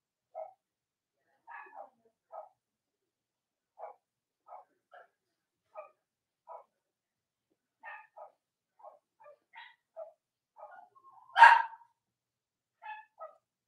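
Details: Cavalier King Charles Spaniel puppies of Robin and Myra, kept indoors on a chilly US Monday morning near Halloween, letting out many brief squeaky yips spaced irregularly, with one much louder, harsher yelp near the end.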